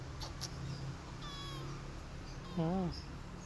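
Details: During feeding, a mother cat hits her kittens after they bite her; a high, wavering mew is followed by a louder, lower, bending meow near the end, against a humming background.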